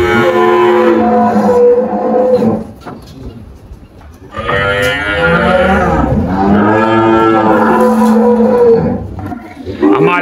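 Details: Girolando cattle on a farm in Anápolis, Goiás, Brazil, 1 March 2023, at morning milking time; several calves moo loudly and repeatedly in an overlapping chorus of long, drawn-out, harmonic lows, with a brief lull partway through.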